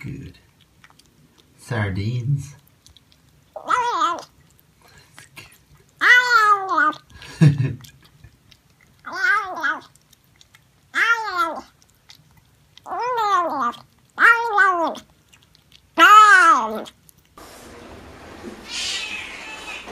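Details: Domestic cat meowing indoors in a small room, a run of about eight loud drawn-out meows with a rise and fall in pitch, coming every one to two seconds. Low grunting sounds come early on, and a soft hiss follows at the end.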